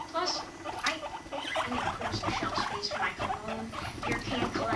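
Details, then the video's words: Pet guinea pigs Rumply and Fluff during mating, Fluff aged five months; dense, brief ticking pulses and soft low rumbles, fairly even in loudness, with a faint high squeak early on. "Guinea pigs mating"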